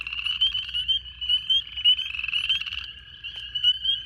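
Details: A loud early-spring chorus of many spring peepers in wetland with toad eggs, during the second week of February on a partly cloudy, roughly 70°F day, gives high, piercing peeps overlapping into a continuous shrill ringing.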